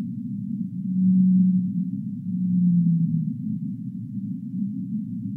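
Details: Whale song: two low, drawn-out moaning tones, each held about a second and sliding slightly downward at the end, over a constant deep rushing hiss.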